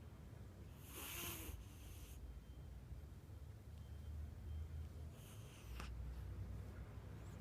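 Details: A flat-nosed house cat sleeps and snores lightly, quieter than usual. Two rasping, airy breaths come about four seconds apart, with a soft low rumble between them.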